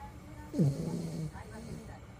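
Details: Sleeping toy poodle giving a single snore, a short low rasping tone that slides down and then holds steady for about half a second before fading, with faint background hum.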